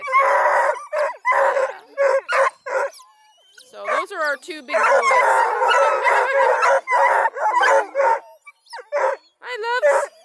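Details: A crew of Bluetick, Redbone and Black and tan coonhounds kept by a breeder near Kingston, Ontario, Canada, gives rapid, choppy barks, then drawn-out, bending bay notes that overlap as many dogs join in.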